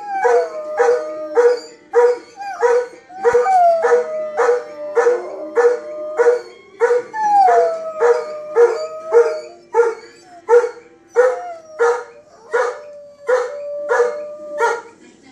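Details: A Golden Retriever howls along to the Law & Order TV theme tune. It gives drawn-out howls that start high and sag lower, while steady, rhythmic beats from the music pulse underneath the whole time.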